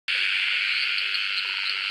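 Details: Australian frogs calling in a dense, continuous high-pitched chorus, with a lower series of short, evenly spaced croaking notes repeated several times a second underneath.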